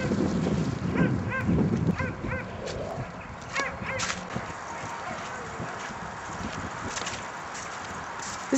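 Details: Sighthounds, an Afghan Hound and a Saluki, at racetrack training on 28 February 2010: several quick yelping barks in the first two seconds, then shouting voices and thumps over a hissing open-air background.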